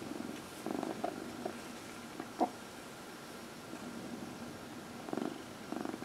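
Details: Dinah, a 14-year-old adopted house cat, purrs while getting a massage during early evening lap time on April 16, 2020; soft low rumbling bursts come in and out with her breathing, separated by quiet stretches and a faint click.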